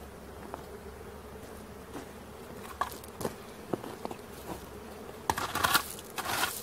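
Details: During a swarm capture, many honey bees buzz in a soft sustained drone while clicks and knocks of handling grow louder, ending in a burst of rustling and scraping.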